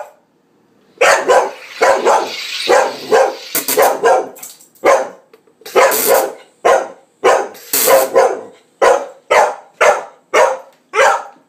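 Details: Murray, a pet Cardigan Welsh Corgi, objecting to the noise of a Sodastream: a long run of loud, rapid barks, some overlapping the machine's hiss, continuing in a steady series of sharp yaps near the end.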